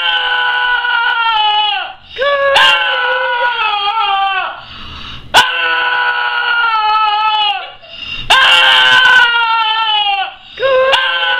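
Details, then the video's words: Puppy making funny noises: long, high, wavering whines and cries, each lasting one to two seconds, in four bouts split by short pauses, with a few sharp thumps or clicks between them. "Cute Puppy that makes funny noises"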